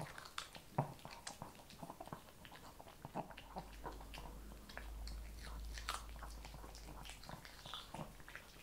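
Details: Shih Tzu eating kibble, biting and crunching in irregular clicks. A low steady hum runs underneath through the second half.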